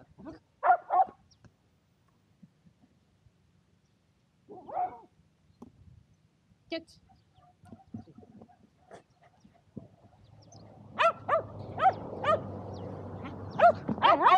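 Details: Shetland Sheepdogs Power and Beat at frisbee play on a sunny day in February 2022; a few isolated barks early on, then a cluster of barks over a rising, steady background rush of noise.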